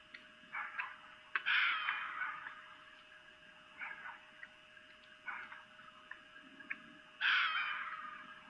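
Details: At night in Lolo, Montana, 3 April 2018, a camera picks up a female red fox's mating calls: a harsh scream early on, a run of short rasping barks, then a second loud scream near the end.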